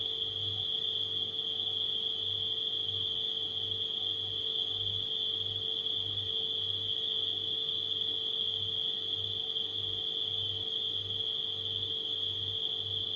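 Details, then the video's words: Continuous shrill trilling of crickets at night holds one even high pitch without pause, layered over a refrigerator's steady electrical hum and softly throbbing low rumble. "Crickets & Refrigerator Humming Sound"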